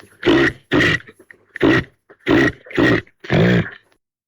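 Caribou giving six short, throaty grunts, each about half a second long, repeated roughly every half second to second in a steady series.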